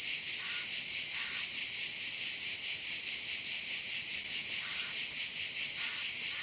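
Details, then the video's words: Continuous high-pitched insect buzzing from crickets around a bay in Korčula, Croatia, pulsing rhythmically about 140 times a minute, with no other clear sounds. "Korčula - view of one of the bays in Korcula with sounds of crickets"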